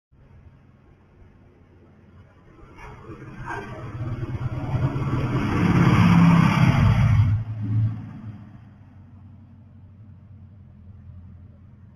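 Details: A motor vehicle approaches with a rising engine rumble, roars loudest around the middle, then fades away, leaving a low background hum.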